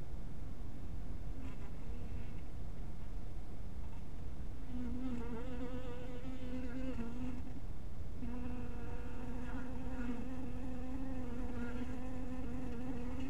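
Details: At a little bee house in evening twilight, honey bees hum faintly at first, then a louder, sustained droning buzz with rich overtones takes over for the last nine seconds above a low rumble.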